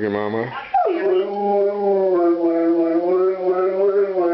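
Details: Stanley the Airedale terrier howls while talking to his owner on the phone, a sustained wavering harmonic howl after a short sharp onset, holding steady pitch for several seconds.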